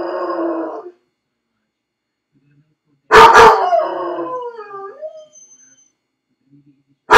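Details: Left alone in his crate, Felix the dog ends a steady whining cry, pauses, then barks hard and breaks into a falling, wavering howl that trails off.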